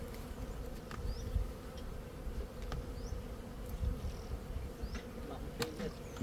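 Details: Honey bees humming steadily, a continuous low drone with a mid-pitched tone running unbroken throughout, plus scattered faint clicks and taps.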